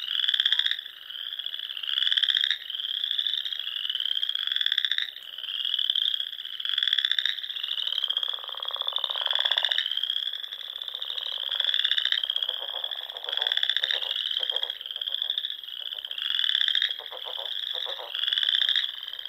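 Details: Frogs singing at dusk in spring among the rolling Sandhills dunes of Nebraska, near small lakes and ponds; a dense chorus of pulsed trills around a steady high band, overlapping bursts swelling every second or two without pause.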